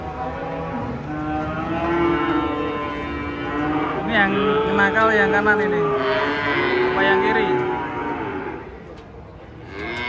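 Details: Giant cattle driven down from a truck bellow almost without a break, long moos bending up and down in pitch and overlapping before fading to quieter background noise.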